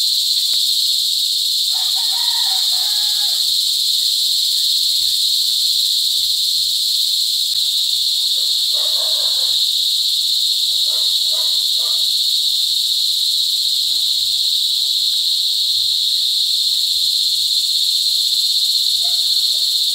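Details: Cicadas mating and calling at Sitio Bagumbayan, Brgy. Balabag, Negros Occidental, July 18, 2020: an unbroken, intense shrill drone with banded high tones, and soft brief rustles and knocks in the background.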